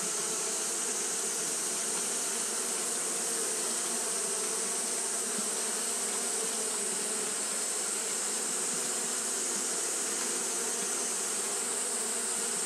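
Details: Japanese honey bees fanning nonstop on a hot day: a steady, even hum with low droning bands and a bright, hissing upper layer, unbroken for the whole stretch.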